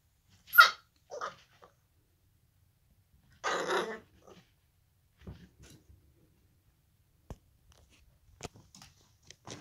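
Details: A Basenji puppy at play indoors gives a sharp, high yelp that slides downward. A second short yelp follows, then a harsh, noisy, growl-like burst lasting about half a second. Scattered clicks and taps come after, with quiet gaps between.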